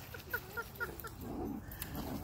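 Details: At a dog park with dogs running about, a quick series of five high, short yips in about one second, followed by softer low grumbling and outdoor background noise.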